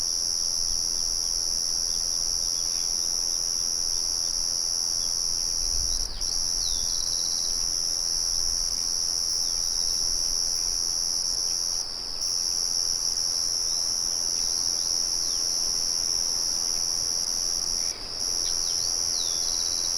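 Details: Crickets trill without pause, high and even, beside the soft murmur of a mill outdoors. Short dips in the trill come about every six seconds, and faint bird notes appear now and then.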